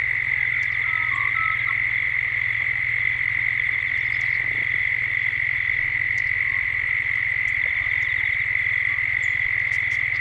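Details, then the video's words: Cicadas at dusk in Gippsland, Australia, captured as a 3D soundscape: a steady, unbroken high drone holds throughout, over a low pulsing hum, with a few brief bird chirps scattered above. "Cicadas at dusk"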